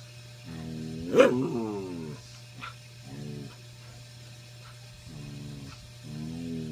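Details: Keoki, a pet dog indoors, gives his old-man "get off my lawn" bark at other pups on the bed: drawn-out, moaning, grumbly barks in several separate bursts, one sharp yip near the start, over a steady low hum.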